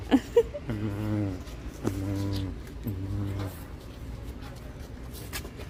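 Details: A cow moos when a woman asks it to, three low, drawn-out moos of about a second each, spaced roughly a second apart. The woman's coaxing voice comes just before, with faint background noise.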